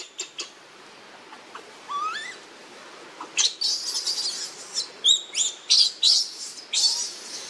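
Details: Baby monkey begging for milk from its mother: early sparse clicks and a rising harmonic whine, then a dense outburst of shrill squealing cries in quick irregular pulses during the second half.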